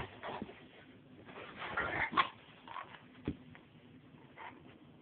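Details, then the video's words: Rottweiler Angus, a 170-pound male aged two and a half, playing indoors with his young owner; phone-recorded, distorted sound with short whining yips and huffs scattered through, a girl's voice and thumps of movement. "Me Playing With My Rottweiler Angus"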